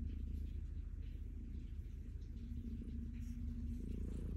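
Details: Low, grainy purr from Stella, a calico cat enjoying being petted, a dense rumble with a brief steady background hum partway through.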